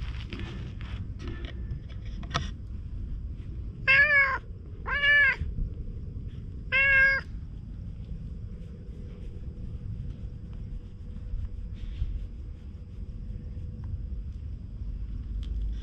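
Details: Stray cats at a fishing spot by the sea, filmed with a GoPro: three separate meows, the first two a second apart and the third two seconds later, each rising then falling, set against steady low rumbling noise and occasional clicks.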